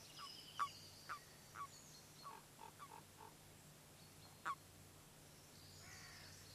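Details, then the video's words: Mating-season common toads gathering at spawning water: a run of short, clipped croaks, then a quick soft series of pulsed notes and one last louder croak, with distant birds chirping high above and a low steady hum. "Auftritt der Erdkröten"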